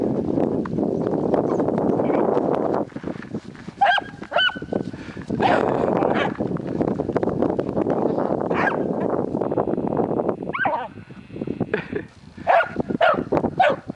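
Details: Wirehaired dachshunds give high, squeaky yips and short barks during rough play outdoors after freezing rain.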